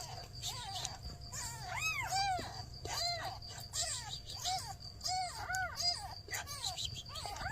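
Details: Mother cat with newborn kittens, mother asking for help: a steady run of arched, rising-then-falling meows, about a dozen over seven seconds, some overlapping, over a low constant rumble.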